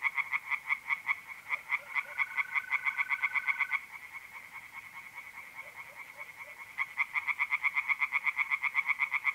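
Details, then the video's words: Tree frogs calling from a pond on a mid-April night in north-east Italy: bursts of quick, grating croaks, a quieter stretch in the middle, then the chorus surging back, with a brief mole cricket trill early on. "relaxing singing tree frogs in pond and trilling mole crickets by night"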